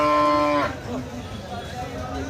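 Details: Slaughter bulls at the Madarganj cattle market, Thakurgaon district, Bangladesh, on 12 March 2026. A loud, steady, tonal moo lasts just over half a second, then gives way to busy market chatter and crowd noise.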